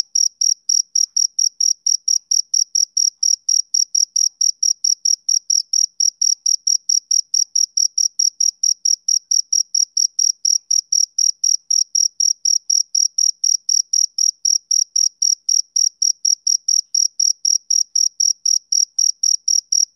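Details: Rhythmic chirping of a male cricket on a summer evening, a long unbroken run of rapid, high, ringing pulses repeated about four times a second, pure and steady with no background noise.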